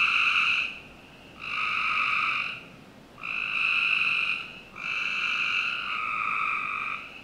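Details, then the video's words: In a Northern Virginia backyard on a summer night, frogs give four drawn-out, nasal trills, each about a second long, with gaps shrinking until the last calls nearly run together. "Frog Night 1"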